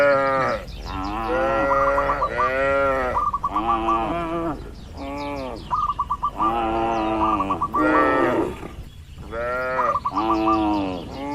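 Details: Dozens of tame cattle in a pen on a large farm, lowing in long, deep, wavering moos that overlap one after another, some rising then falling. Quick series of short, high, chirping notes repeat between the moos.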